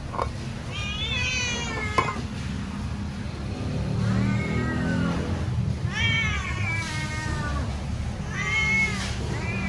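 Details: Pet cat meowing loudly while waiting for food to be served: four drawn-out, wavering meows with rich harmonics, rising then falling, spaced a few seconds apart over low background hum.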